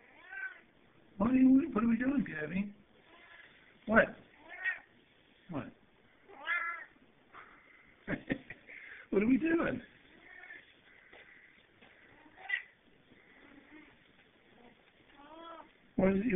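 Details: A demanding male house cat, said to make barking yap sounds when he wants his laser pointer to chase, captured on a cell phone: many short, strained, harmonic yowls alternating with a man's repeated questions.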